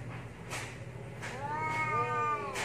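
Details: Domestic cats fighting: a thin drawn-out whining yowl that bends downward near the end, broken by sharp hissing bursts and set against a low steady hum.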